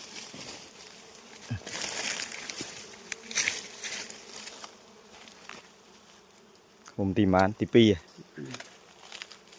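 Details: Honey bees during a honey harvest in the seventh month: a steady low droning hum runs throughout, overlaid by rustling and crackling handling noise, with a brief burst of a man's voice near the end.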